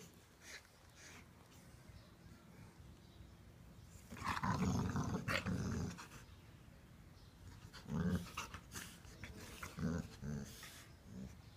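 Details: Two blue brindle (tigrato) Cane Corso sisters playing together indoors; low rough growls come in loud bursts around four to six seconds and again near eight and ten seconds, with panting and scuffling between them.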